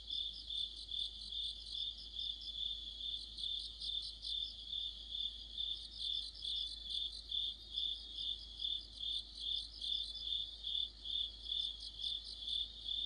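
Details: Autumn chorus of crickets and fellow insects under a streetlight, with shrill chirps beating in a regular pulse of about two per second and intermittent higher trilling phrases weaving over the top.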